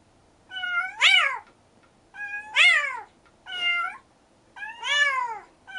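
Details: Four loud, bright meows from rescued stray kitten siblings Mugi and Choco, each swooping up and then falling away, coming about every second and a half with short quiet gaps between.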